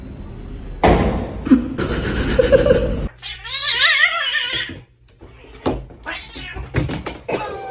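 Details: Pet cat indoors giving a drawn-out, wavering yowl in the middle, framed by a person's voice, laughter and bursts of music, with sharp knocks near the end.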